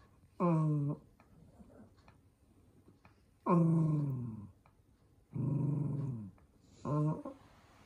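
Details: An indoor pet toy poodle named Minato, furious about wearing socks, lets out four long growling whines roughly every two seconds, each bending downward in pitch, with a small room's quiet in between.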